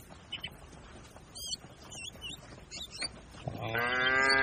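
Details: Herd of cattle grazing on a green pasture: birds chirp for several seconds before one cow starts a rich, steady moo that runs to the end.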